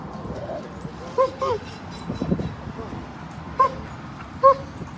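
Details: Siberian Huskies playing and swimming at a lake in a Colorado dog park on a road trip; short high yelping whimpers come in pairs, then two single yips, over steady outdoor background noise and voices.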